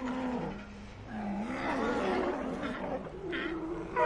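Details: Ambient sea lion colony sound: overlapping drawn-out moaning calls with wavering pitch blend into a continuous dense chorus, a brighter call breaking through near the end.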